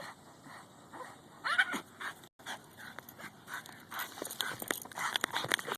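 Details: A female Boston Terrier chasing a goose at a park makes odd, chattering, monkey-like yips and whines in quick, uneven bursts; she never barks, only makes these sounds.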